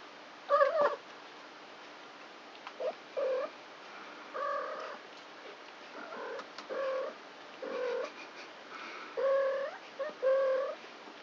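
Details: Four three-week-old kittens at play at night; short, flat, nasal mews in quick, uneven succession, some paired, with faint rustling between calls.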